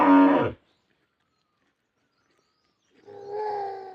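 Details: A cow being fed roti gives a short, rough moo, then after a pause a steadier, higher drawn-out call.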